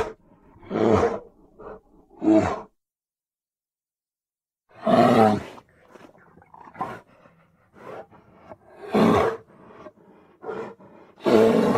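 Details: Grizzly bear at Grizzly Park, in an edited recording: a series of deep, rough roars and groans in uneven bursts, with shorter grunts between them and a silent gap of about two seconds.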